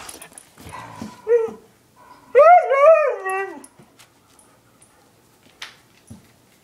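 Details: Short whining howl from pet dogs Chinook, a husky aged one, and Lola, an eight-year-old German shepherd mix, preceded by a faint brief whimper, then quiet room with small knocks.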